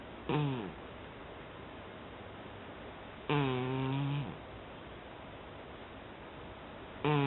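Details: A cat fast asleep gives two low, buzzy snores about three seconds apart, the second longer and steadier, before a third begins at the end; only faint background hiss between breaths.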